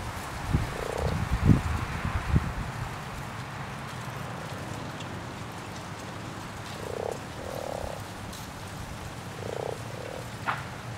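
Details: Spawning common frogs in a pond give short, low, purring croaks, one early and a cluster of three or four later. Soft low thumps and rustling near the start.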